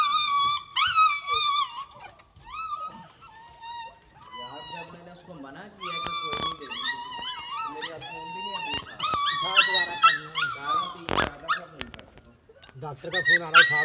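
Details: Siberian Husky puppies in Lahore, Pakistan, giving high, wavering whines and drawn howl-like cries, some sliding up and down, in irregular bursts with human voices and clatter between them.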